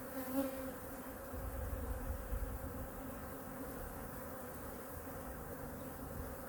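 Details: Honey bee colony in hive #2 during a weekly winter inspection and feeding, with food reserves being checked; a steady, low, droning hum with layered overtones runs unbroken throughout, over faint low rumbling from handling.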